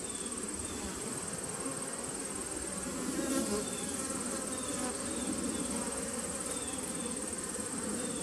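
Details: Bees humming in a nuc colony dating from 2017, recorded 19 September 2018. A heavy, constant drone that briefly grows louder midway, with a continuous thin high whine throughout.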